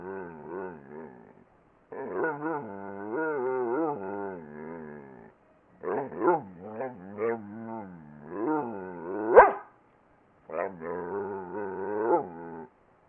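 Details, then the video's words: Twinkle, a talking dog, produces drawn-out, wavering moans rich in harmonics. They come in several bursts over about thirteen seconds, split by short silent gaps, with one sharp click near the end. "Twinkle the 1 talking dog!"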